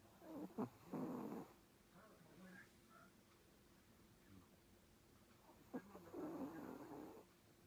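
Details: Domestic cat snoring heavily while asleep, two rough, rattling snore breaths about five seconds apart, each under a second long, with a quiet hum in between.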